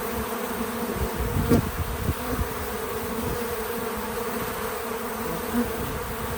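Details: Outdoor farm feeder with bees: a low, even buzzing drone under scattered soft thumps and rustles. One sharp close buzz comes midway and a fainter pass follows near the end.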